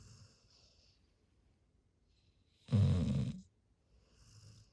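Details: A big retriever named Haru, sleeping peacefully on a pillow, lets out one harsh, rattling snore under a second long, deep and throaty, framed by soft, faint breaths in a quiet room.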